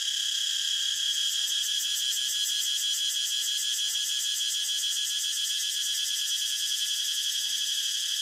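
A cicada's loud, unbroken high-pitched buzz, shimmering with fast pulses throughout.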